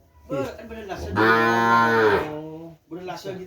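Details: A Sapudi Island kerapan racing cow or bull, bought as breeding stock and kept at a house, lows in a single sustained, steady moo lasting over a second, with brief human voices just before and after.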